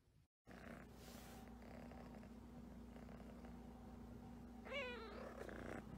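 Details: Havana Brown cat purring as a low, steady rumbling hum throughout, then giving a single short, wavering meow near the end.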